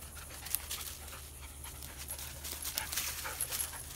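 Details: Belgian Malinois dog hunting for squirrels while hiking in Belize, panting rapidly in fast breathy bursts of noisy hiss, with a steady low hum underneath.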